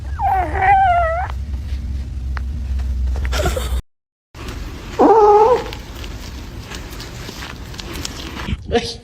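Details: Cat meowing, two drawn-out wavering meows, the first rising then falling, the second shorter and flatter, with music and voices in the background.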